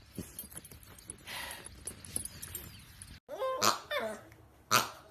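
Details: Dachshund barking: after about three seconds of low indistinct room noise, two or three sharp, loud, broadband barks ring out roughly a second apart.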